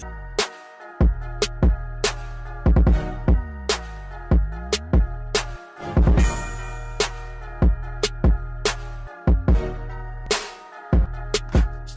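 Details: Hip hop music with a drum machine, booming bass drum and sliding bass notes, beats repeating throughout.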